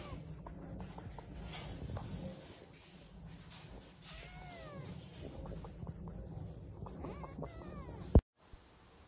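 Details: Oriental Shorthair cat giving a few short arched meows, the clearest one midway and a softer pair near the end, over steady low rumbling background noise, then a sharp click and near silence.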